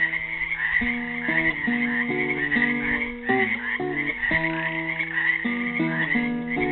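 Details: In spring, on Earth Day, frogs trapped in a pool in Helix, Oregon, give a steady, trilling chorus beneath a classical guitar playing a slow, plucked melody.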